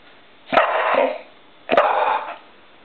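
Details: Two full, rough barks a little over a second apart from Poppy, a determined female pet dog barking at light reflecting on a wall that she keeps trying to catch indoors.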